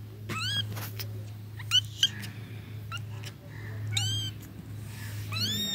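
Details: Short, high-pitched cat meows come in scattered bursts, some sharp and clipped, others arched and drawn out, with a steady low hum underneath and occasional clicks.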